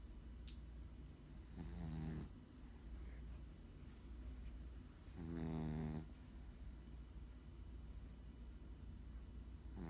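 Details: Sleeping Chihuahua giving slow, raspy snores, one roughly every three to four seconds, each a low rattling drone with a faint whistly overtone, with a soft background hum and a brief tick.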